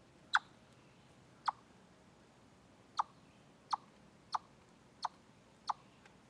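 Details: Chipmunk calling at Deer Trail, recorded from a live stream on 27 August 2013: seven sharp, short chips with clicky attack, spaced roughly every half second to a second, over a quiet, steady background hiss.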